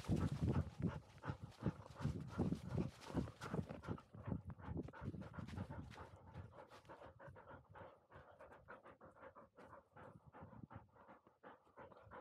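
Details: Field-type Labrador Retriever puppy, 439 days old, after a dash up a slope; fast, steady panting, loud and bursty at first, then settling into quieter regular breaths about three per second.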